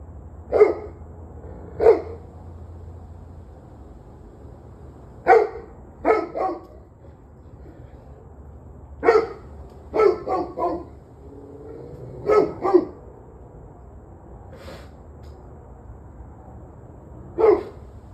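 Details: A dog barking in irregular bursts, single barks and quick doubles or triples spaced a few seconds apart, sharp and mid-pitched over a faint low rumble.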